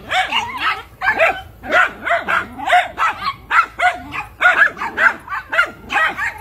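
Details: A Miniature Schnauzer gives a steady string of short, high-pitched barks and yaps, about two per second, each clipped and bright, with no other sounds competing.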